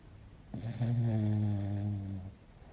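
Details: Sleeping English Bulldog Belchior gives one long, steady snore of nearly two seconds, a low buzzing rumble with clear stacked overtones, rising abruptly and fading at the end in a quiet room.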